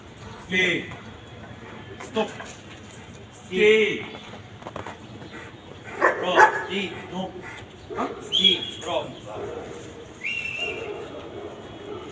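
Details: Boerboel, a South African Mastiff living in Egypt, giving a few short sharp barks and yips spaced through the recording, with a thin rising whine near the end; people talk in the background and praise the dog.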